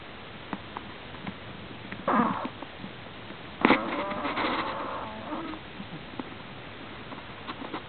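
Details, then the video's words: Prairie dog asleep and snoring strangely, giving a breathy, rasping burst at two seconds and a longer, rougher wheezing snore from about three and a half to five seconds, over low room hiss with occasional clicks. "Snoring of a prairie dogs"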